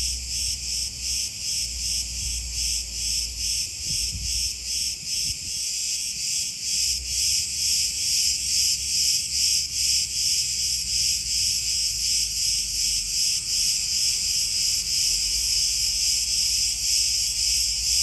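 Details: A cicada chorus in Crete's olive groves, Greece: a loud, high buzzing with a rapid rhythmic throb, about two pulses a second, steady for the whole stretch, with low rumbling early on.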